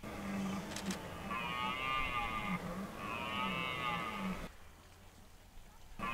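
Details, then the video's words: Red deer during the 2023 rut in Hoge Veluwe park, where rangers feed deer apples at certain spots: two long, deep harmonic roars with a wavering, groaning quality, each about a second and a half, then an abrupt cut to quiet. "Bronst Edelherten 2023"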